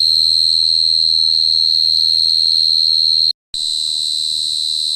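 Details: Cricket trilling in a high, even, sustained tone that cuts out abruptly for a split second after about three seconds, then resumes at the same pitch over soft low background noise.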